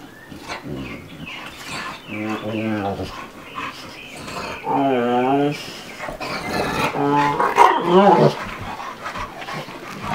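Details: Two playing dogs, a two-year-old American Bulldog and a five-month-old Dogue de Bordeaux, trade wavering, moaning growls in several drawn-out bouts, each rising and falling in pitch, with breathy huffs and rustling between them.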